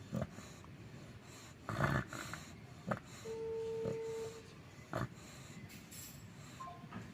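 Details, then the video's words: Sleeping American Bully named Bagong snores in snorting, breathy bursts that come at uneven gaps, with a brief steady tone in the middle. "si bagong tidur sampe ngorok"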